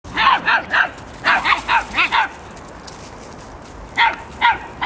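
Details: Greyhound puppies seven weeks old giving short high yips in quick bursts, three, then five, then two after a pause, with no other clear sounds.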